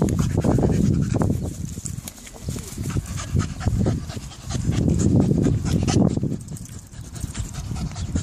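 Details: A Staffordshire Bull Terrier on its first time in the park pants heavily in quick, rhythmic, breathy bursts, about four a second.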